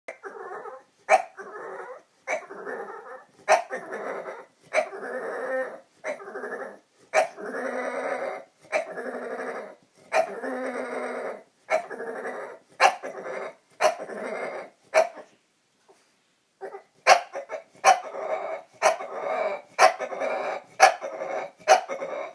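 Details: Pet bulldog making dinosaur-like noises on her own accord indoors: a long series of rough, raspy growling bursts, each about half a second, repeated steadily with short gaps and a brief pause near the middle.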